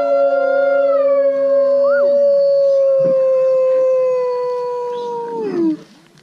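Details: Captive gray wolves at Wolf Park join a group howl prompted by people at a July 8, 2017 Howl Night, long steady tones overlapping, one voice swooping up and back down.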